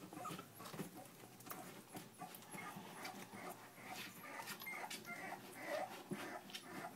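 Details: Litter of puppies aged three weeks, fast overlapping whines and squeaky yelps plus snuffly breathing, a few sharper rising squeals standing out near the end.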